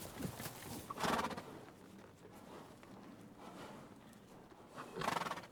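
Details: Horse giving two short whinny bursts about four seconds apart, with faint hoof clip-clop and rustling between them.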